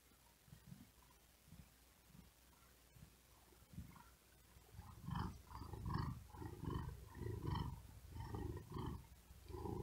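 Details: Domestic cat resting and sleeping on a wooden desk in hot weather, breathing quickly with effort; low rumbling purr pulses in steady breath-timed cycles, about 75 a minute, growing louder halfway through.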